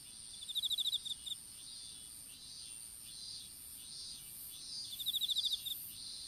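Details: Insects of an open strawberry field, recorded on a smartphone dropped during planting. A quick ticking trill opens and another returns near the end, with soft high buzzing swells and a steady whine between.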